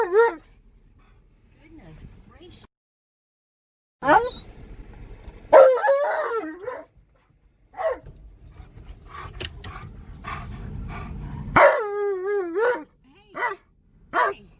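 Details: Tonka, an Alaskan Malamute excited in a car at a park, gives scattered wavering howls and yelps between quieter stretches, with engine rumble and occasional human voices in the background.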